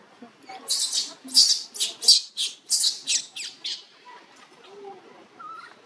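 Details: Newborn monkey named Luno, living around a temple in Cambodia, crying to call its mother: a rapid run of about nine loud, shrill, harsh high-pitched bursts over three seconds, then quieter scattered squeaks and background murmur.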